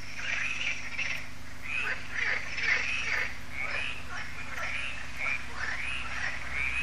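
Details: An evening frog concert at Lac de Sabatte in France, held every year at the lake: many frogs croak together in a dense, continuous wash of rasping, slightly rising calls over a constant low drone.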